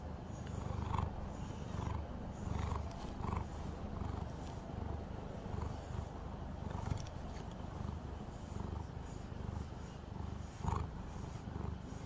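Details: Pet calico cat purring while brushed indoors: deep throbbing rumble with rhythmic pulses near one per second and light scraping sounds between.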